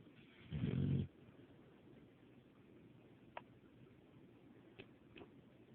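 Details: Deeply asleep, the dog Buddy lets out a single low, raspy snore near the start, then breathes quietly while a few faint clicks sound in a still room.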